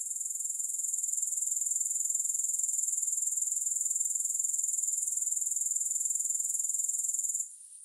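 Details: Grasshoppers in an unaccompanied recording: a piercing, finely pulsed buzz swelling slightly then holding steady for about seven seconds before abruptly falling away to a faint remnant.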